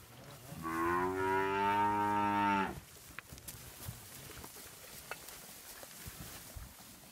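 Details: Charolais calves for sale in China, Nuevo León: one loud, rich moo lasting about two seconds, steady and slightly falling at the end, then quiet farmyard background with scattered clicks and knocks.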